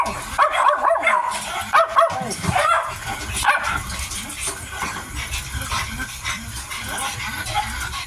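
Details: Mealtime sounds from a Miniature Dachshund puppy, 55 days old: a cluster of thin, wavering whimpers and yelps in the first few seconds, then quieter rustling and eating noises.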